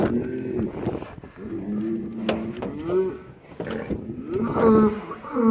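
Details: Cattle at a farm where a 930 kg Qurbani bull named Gabbar is weighed before Bakra Eid; several overlapping low, drawn-out moos rise and fall amid a busy background of people and farm noise.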